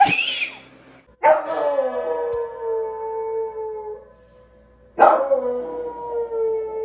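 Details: Domestic dogs howling together in a chorus: long, sustained wavering howls that start sharply, hold a steady tone and slowly sag in pitch, with a second drawn-out howl rising again near the end.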